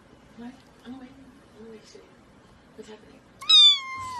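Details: Pet cat from a funny cats-and-babies compilation, heard late in the clip with a single loud meow that starts high and slides gently downward. Soft murmuring voices and faint room noise come before it.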